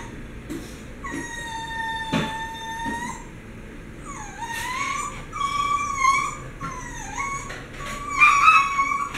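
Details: Three dogs excited before mealtime indoors, high whistled whines and yips, some long steady tones and others bending up and down, repeated in quick bursts, growing louder toward the end.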